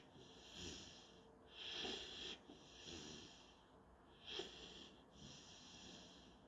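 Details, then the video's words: Sleeping German Shorthaired Pointer puppy Panzer making hissy, whistled nasal breaths during a daily nap. Several breaths of uneven length, one sharper snort near the middle, over a low quiet indoor background. "GSP German Shorthaired puppy Panzer daily nap..."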